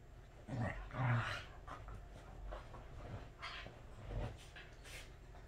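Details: Welsh Corgi indoors at home, in its very best mood: two low, rough growl-like grunts in the first second and a half, followed by softer snuffling breaths and a few light knocks in a small room.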